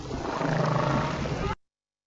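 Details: A humpback whale gives a low, rough, roaring moan lasting about a second and a half, possibly one voice separated out from a recording of several humpbacks calling together.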